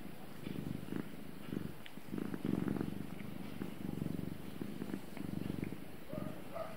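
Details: Domestic cat purring steadily: a low, rumbling buzz that swells and fades with each breath, roughly one surge per second, over a quiet indoor background.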